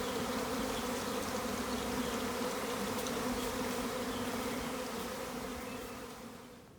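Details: Massive honey bee swarm in a garden in April 2020, its loud continuous droning buzz holding steady before fading away over the last two seconds.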